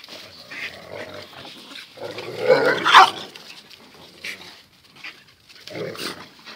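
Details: Zion and Tyson, two dogs, in their everyday fierce scuffle: low muttered growling builds into a loud, harsh snarling bark near the middle, followed by shorter gruff growls and grunts with pauses between.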